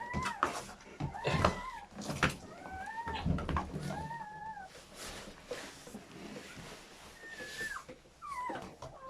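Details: Newborn German Shepherd puppies during their mother's labour and delivery of a seven-pup litter, giving thin, high, wavering squeals that rise and fall, several scattered through nine seconds, amid rustling and handling noises.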